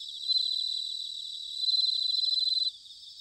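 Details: Japanese bell crickets in autumn, Sanuki, Chiba: a sustained high ringing trill of rapid pulses that grows louder midway and then stops abruptly near the end, leaving a quieter insect hum.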